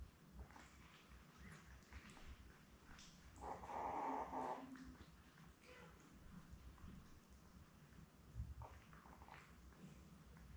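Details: Newborn Labrador Retriever puppies, a litter of seven born May 24, 2021, with their mother Belle, on an indoor puppy cam on June 4: one squealing whine lasting about a second, over soft rustling and a low steady hum.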